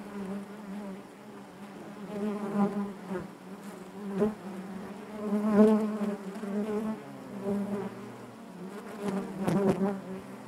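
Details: Honey bees buzzing inside their hive, a dense steady drone with a strong low hum and stacked overtones, swelling and fading in waves, with brief louder bursts as individual bees pass close by.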